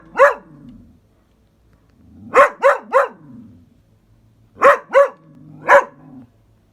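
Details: Dog barking at a caterpillar: sharp, loud barks in bursts, a single bark, then a triple, then another triple, with soft grumbling between bursts and quiet pauses.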